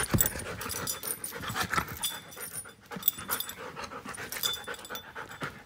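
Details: Giant schnauzer Klara, one year five months old, panting loudly and quickly close to the microphone, with harsh breathy puffs at a brisk steady rhythm and occasional sharper peaks.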